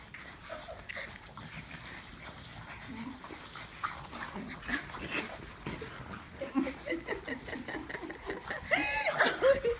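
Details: French Bulldogs attack each other, scuffling with bursts of snorting growls, yips and whimpers. Finding: French Bulldog.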